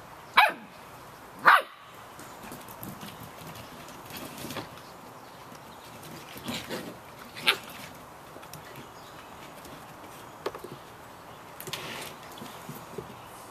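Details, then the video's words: Samoyed puppies at 51 days old in the rain give two loud, abrupt yaps at the start, followed by faint scattered squeaks beneath persistent rainfall noise. "Samoyed Puppies - Yapping in the Rain"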